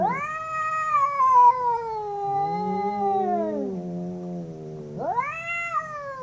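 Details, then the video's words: Domestic cats howling in a fight: one long yowl sliding gradually downward as a deeper growling voice overlaps beneath it, then a sudden sharp rising wail bursts out near the end. "Two cats howling cats fighting sound"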